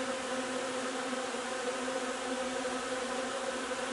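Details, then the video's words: Bees of a hive working linden blossom nectar in early June (3 June) produce a constant, buzzy hum, evenly loud, with stacked steady tones and no breaks. "alveare api durante la raccolta del nettare miele di tiglio 3 giugno"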